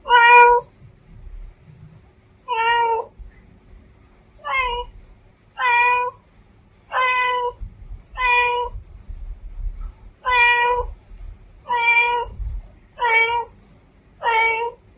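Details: Female domestic cat meowing, ten loud harmonic meows at irregular intervals of about one to two seconds, each short and slightly wavering in pitch, over a quiet low background rumble.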